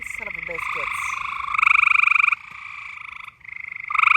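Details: Frogs in mating season giving rapid pulsed buzzing trills, loudest near the end, after a short snatch of human voice at the start.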